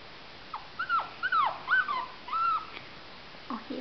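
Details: Jack Russell Terrier puppies in a cage, yelping and whimpering in short whiny cries that rise and fall, several overlapping in quick succession, with a few quieter squeaks near the end.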